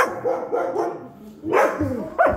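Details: Siberian Husky welcoming its returning owner home, voicing a string of wavering, yodel-like woos that rise and fall, a brief lull, then louder rising bursts and a sharp final yelp.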